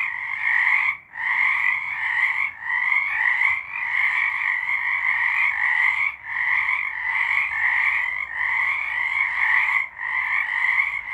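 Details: Chorus of frogs singing, March 2023: steady overlapping trills and croaks that pulse with short dips every second or two across eleven seconds. No other sounds intrude.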